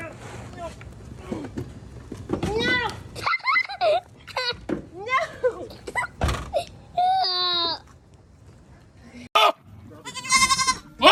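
Goats let out loud, quavering, human-like screams among people's chatter and laughter.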